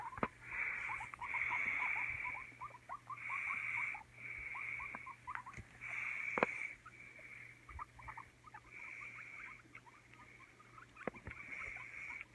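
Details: Guinea pigs Oreo and Donut at home, Oreo fearful of Donut after fights; quick faint squeaks, several per second, beneath repeated hissing rustle bursts and occasional sharp taps.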